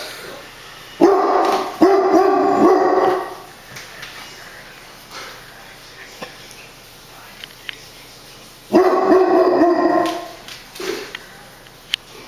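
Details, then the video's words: Brownie, a pet dog that barks at everything, gives two bursts of rapid, harmonic barks, the first near one second and the second near nine, with a quiet room between them. "Brownie Dog Barking"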